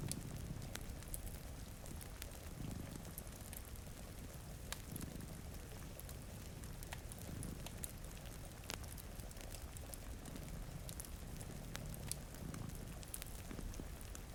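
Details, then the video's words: A pair of cats dozing before a rainy window gives a deep, soft purr rising and falling in slow regular waves every two to three seconds, with constant rain and crackling firewood over it. "Purring Cat"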